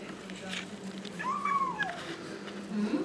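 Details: Kitten eating fish and rice for the first time lets out a single long, arched meow that rises then slowly falls, amid soft background noise and a faint low hum.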